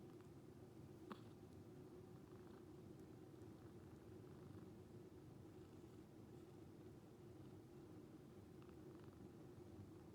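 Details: Sleeping calico rescue cat purrs like snoring as it lounges; an even, low droning purr held throughout, with one faint click early on.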